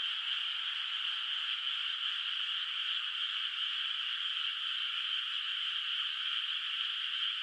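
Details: Countryside rice field at night under moonlight, water not yet planted, with frogs calling far off; their overlapping croaks blur into a constant, shimmering mid-pitched trill, unbroken and even, over a faint high steady tone.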